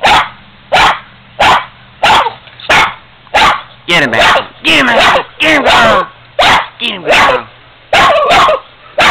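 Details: Boston Terrier, a female, barking at an old piggy bank she does not like: a rapid, steady series of loud, rough barks, with people urging her on with repeated "get him" between barks.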